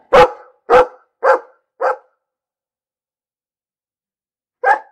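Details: Dog barking: four short, punchy barks about half a second apart, then a pause and one more bark near the end; clean background with no other sounds.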